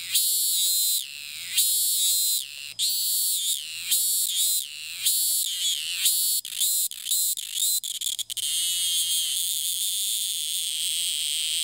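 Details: Calling cicada in Thailand that restarts its song right after landing from each flight: shrill buzzing pulses with falling ends that come faster and faster, merging into a continuous high, steady drone.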